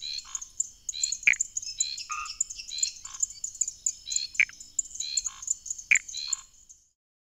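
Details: Calls of Pithecopus nordestinus, a Brazilian tree frog: brief clicky notes and soft pulsed bursts repeated every second or so, some sharper descending ones standing out, over a continuous high insect drone that fades at the end.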